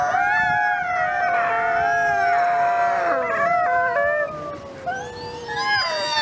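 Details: Captive gray wolves, including captive-born ambassador wolf Nikai, at the Wolf Conservation Center in South Salem, New York, on Christmas Eve: several long, smooth, overlapping howls, some holding steady, others sliding down, with a higher rising voice near the end.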